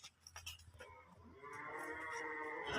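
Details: Holstein Friesian cattle, a cow and calf offered for sale: after soft clicks and handling noise, a drawn-out, steady, harmonic-rich moo rises gradually in loudness and holds through the final second and a half.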